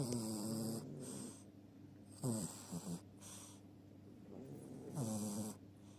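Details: Chihuahua asleep, giving loud, rattling snores with a wavering buzzy tone, three or four uneven breaths over a few seconds against a faint room hiss.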